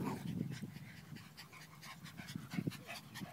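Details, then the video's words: Two pet dogs, a Maltese and a poodle, fighting over a ball; quick rhythmic panting and low growly breaths with short noisy bursts, scuffling throughout. "Dogs fighting over ball"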